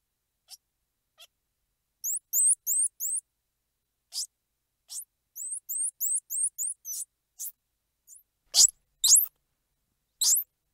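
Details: Squirrel monkey squeals and chirps: bursts of very high, thin, rising chirps in quick runs of three to five, mixed with single sharp squeaks, on a silent background.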